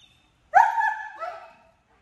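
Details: Captain, a 10-month-old German Shepherd in off-leash obedience training in Georgia, gives a single tonal bark that rises sharply, holds for about a second, then trails off in a softer second part, against an otherwise quiet background.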